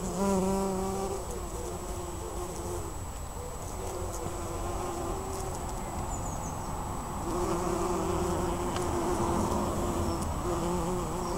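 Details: Bumblebees working a white flowering bush in Pulford in June 2015 give a low, droning buzz that swells and fades as they fly close by.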